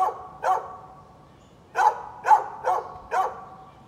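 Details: A neighbour's dog barks at birds on 13 November 2020: two barks, a brief silence, then four more spaced about half a second apart. The barks are sharp and mid-pitched against a quiet background.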